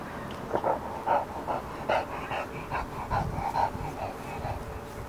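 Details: Two English bulldogs playing and wrestling together in a tube give short, rough barks and grumbling whines in quick, uneven bursts.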